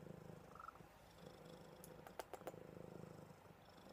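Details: Buddy the cat purring while cuddled before sleep, a fast rhythmic rumble of roughly four pulses per second, interrupted mid-way by a few sharp kissing clicks.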